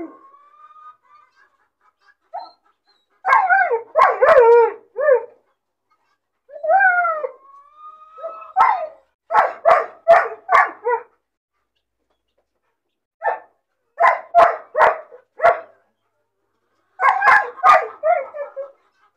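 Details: Puppy crying out of loneliness and boredom when caged by itself: soft high whines interrupted by clusters of rapid sharp yelps and barks, several bursts of four or five separated by short silences.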